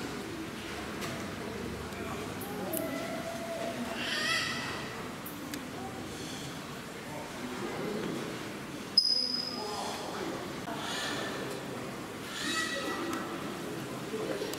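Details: A male silvery (Javan) gibbon born in 1968, at a tropical zoo in Gunma, Japan, gives loud, tonal whooping calls that sweep up in pitch, with people murmuring nearby; 11 November 2018.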